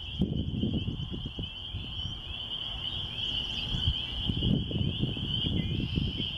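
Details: Spring peepers calling in spring near a church in the country: a dense, unbroken high-pitched chorus of overlapping peeps, with low rumbling wind or handling noise beneath.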